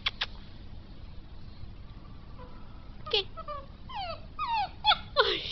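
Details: English Mastiff puppy giving a run of high, whining yips and short cries that bend up and down, bunched in the last two and a half seconds after a quiet start, with a person talking softly in Spanish.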